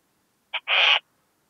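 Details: Western saddle bush-cricket singing at Bollenberg, France, on 9 October 2022, captured with an ultrasound detector: one two-part chirp, a short clipped click followed by a longer harsh buzzy rasp, against silence.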